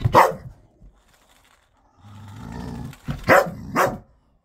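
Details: A ten-year-old dog at play with his new ball: one bark, a pause, a low growl, then two quick barks close together.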